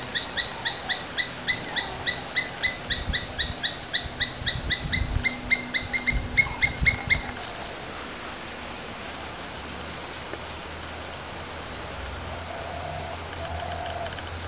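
An Asian palm squirrel gives a fast series of sharp, high chips, about two each second.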